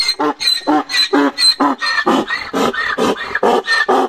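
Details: Male donkey braying among donkeys in heat, a loud rhythmic hee-haw of alternating harsh harmonic bursts, roughly two per second, the inhaled and exhaled notes differing in pitch, sustained through the whole stretch.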